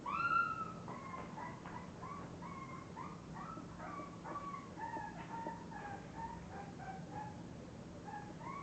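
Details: Several English bulldog puppies from one litter whine and squeak, beginning with a louder rising cry, then a busy run of short, wavering whimpers about four a second, with a low hum underneath.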